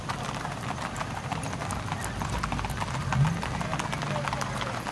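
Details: Tennessee Walking Horses on a Texas trail ride near New Boston: quick, closely spaced hoof clops over ground, mixed with people talking nearby throughout.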